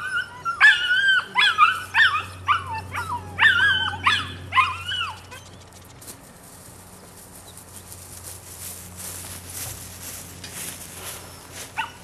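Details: Female puppy, nine weeks old, from the Rodin/Katana litter, gives a burst of high, yappy barks about twice a second for five seconds, then falls quiet apart from a faint hiss and one last short yip.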